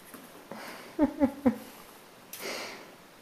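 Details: Miniature Dachshund puppy confronting its reflection in a mirror lets out three quick, sharp yips about a quarter second apart, with faint sniffing and rustling before and after.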